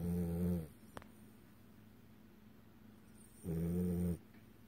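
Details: A male French Bulldog snores with deep, rumbling breaths, two loud bursts about three seconds apart, during REM sleep, his eyes possibly open and flickering.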